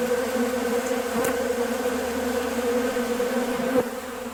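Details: Many honey bees at a sugar-water bucket feeder that they empty in two or three hours; a loud, steady buzzing drone with two brief knocks partway through.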